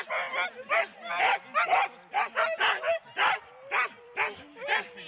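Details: Four-dog Husky teams waiting at a sled start, Rendlesham, January 2016, analogue cassette recording: rapid, high yapping barks in quick bursts, roughly two a second, from several dogs at once.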